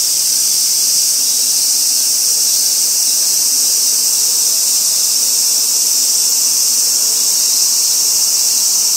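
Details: Robust cicada singing from a tree trunk in a small park at the edge of a housing estate beside the railway in Kitano, Japan, 23 August. A loud, steady, hissing high-pitched drone runs unbroken throughout, with no other clear sounds.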